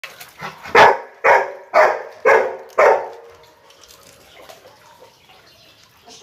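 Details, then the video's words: A Rottweiler meeting a duck gives five deep, sharp barks about half a second apart, then falls silent before a sixth bark begins at the end. "Rottweiler meets the Duck"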